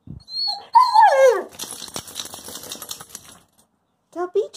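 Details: Covi, a talkative pet dog back from a walk and fresh from a bath, demands that the door be opened: a drawn-out whining howl that slides downward, followed by rustling noise and a person speaking.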